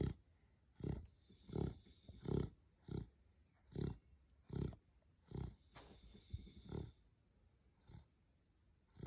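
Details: Asleep pet beagle Rocket in Australia gives loud, gravelly snores, short rumbling pulses repeating roughly every second in an uneven rhythm, with faint background hiss.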